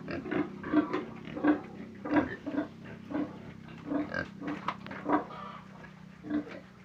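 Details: Pig grunting rapidly in quick, throaty bursts, an irregular chain of short oinks with a few louder, harsher ones, a constant low hum underneath.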